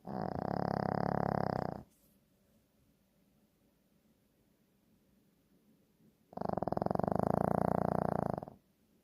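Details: Shih Tzu dog snoring: two rattling, finely pulsed snore bursts, each about two seconds long, separated by roughly four and a half seconds of quiet breathing.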